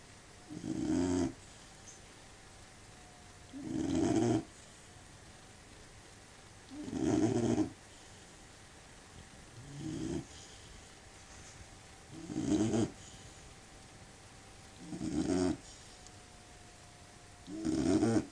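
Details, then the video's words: Sleeping Labrador Retriever snoring: low rasping snores, each about a second long, repeated roughly every three seconds, with a faint steady tone in the background. "Labrador Retriever snoring dog (лабрадор храпит)"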